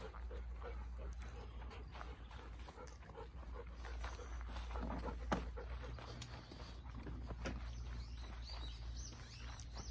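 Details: Golden Retriever outdoors in Kiribata, Japan, keeping watch while passion fruit flowers are hand-pollinated. It pants steadily in rapid breathy puffs, about two or three a second, with soft rustling and a low background hum.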